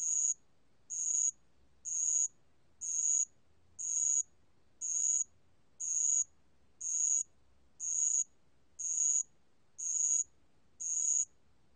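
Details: Bell cricket song from 2020, a regular series of bright, high-pitched ringing pulses, roughly one per second, each lasting a fraction of a second, with faint low rumble underneath.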